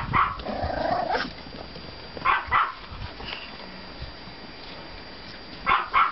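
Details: Pomeranian puppies from litters 32 and 35 out for a walk in the yard after snowfall on 5.04.14; sharp high yaps come in quick doubles, near the start, around two and a half seconds and at the end, over a steady background hiss.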